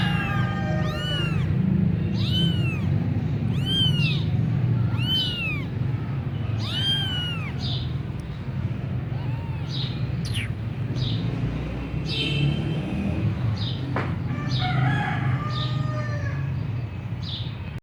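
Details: Persian punch-face kitten in Gujranwala giving a run of high, arched mews about once a second for the first seven seconds, then sparser, fainter cries, over a steady low rumbling background hum.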